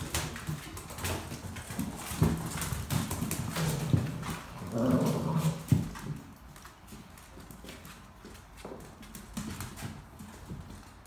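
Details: Dogo Argentino puppies at the vet, making low, rough grumbling growls in short bursts over several seconds, then falling quiet, amid steady clicking and tapping like claws on a hard floor indoors.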